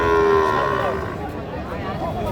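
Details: Sahiwal cattle at Panchbibi weekly market, Joypurhat, on market day 8 October 2024; a sustained moo for about a second that bends downward, followed by busy market chatter and background noise.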